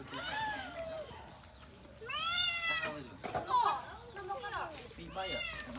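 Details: Domestic cat meowing indoors: several drawn-out, harmonic meows, each rising then falling, clearest near the middle, with a shorter one at the end, mixed with steady Khmer conversation and children's voices in the background.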